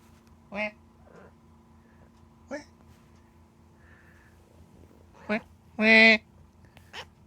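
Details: Cat with odd 'an-an, aan' vocalizations: short nasal meows spaced about two seconds apart, building to a louder, longer wailing meow near the end, with a constant low hum behind.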